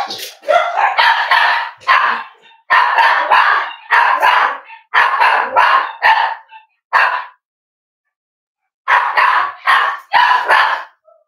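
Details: Cavalier King Charles Spaniels at Red Barn Cavaliers, indoors in the kitchen on a chilly Thursday morning, with mothers, puppies and sires together. Rapid bursts of sharp barking come in clusters, pause for about two seconds, then resume with several more barks.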